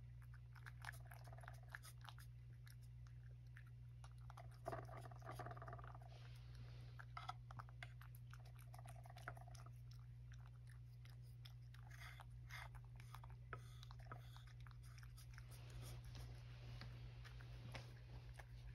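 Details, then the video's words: Male rescue cat Sacchan eating breakfast indoors, steady soft crunching and chewing bites through most of the stretch, with a low constant hum underneath in a small quiet room. "朝ごはん.. おばあちゃんがいなくても、しっかり食べて.. 追加も食べて.."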